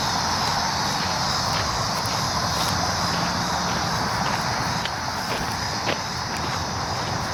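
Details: Cicadas recorded on July 19, 2019, giving a steady, loud, high-pitched buzzing drone that holds without pause, with a shrill upper band over a broad hiss and low rumble beneath.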